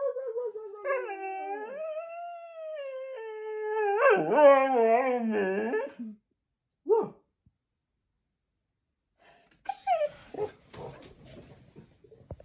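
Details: Goldendoodle throwing a daily temper tantrum: a drawn-out whining howl sliding down then wobbling, followed by a short yelp and a final noisy burst of whimpering.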